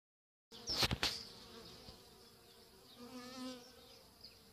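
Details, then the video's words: Honey bees at work at their hive: after a brief silence and a few loud knocks of handling, a dense, low droning hum with steady tones and a higher hiss carries on. "Arnia.. Api al lavoro"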